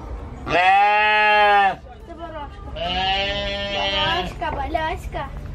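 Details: Goat screaming in a human-like way: a loud, long, strained bleat held for about a second, then a second quavering, wavering cry, with people talking over the calls.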